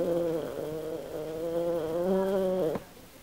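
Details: Sleeping and dreaming, Kym the Australian Silky Terrier snores in one long, steady, nasal, humming drone of nearly three seconds that wobbles slightly in pitch before cutting off into silence.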